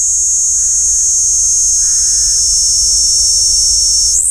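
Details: Kaempfer cicada singing into a parabolic microphone: a steady, piercing high buzz, faint lower murmurs in the background, and a sudden upward pitch shift right at the end.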